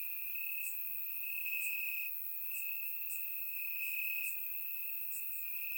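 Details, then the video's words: Crickets chirping in grass on a warm summer night in Bulgaria, recorded with a surround microphone: a steady high continuous trill with faint higher chirps recurring roughly every second, no other sounds. "Cricket Sounds - Crickets Chirping at Night"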